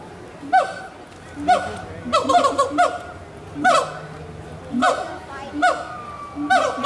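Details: Captive gibbons at Animal Kingdom, Walt Disney World, 2018, calling to one another: irregular hooting notes, some in quick clusters and some with rising sweeps, over quiet background noise.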